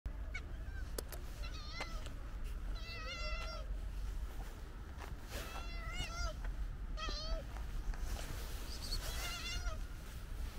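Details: Calico cat, a stray, meowing outdoors: about five short harmonic meows spaced one to two seconds apart over a steady low rumble of background noise, with a few sharp clicks.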